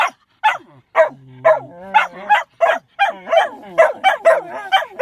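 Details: Sneezing interrupts a dog's attempt to howl, producing rapid choppy yelps about twice a second, with a low droning whine running under the first few and wobbly tonal tails after later ones.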